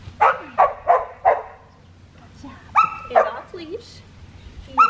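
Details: Black tri female Australian Shepherd puppy being trained to heel, Oklahoma, November 25, 2019. A run of four evenly spaced short barks, then a pause and more high yaps and a brief whimper, with a person speaking nearby.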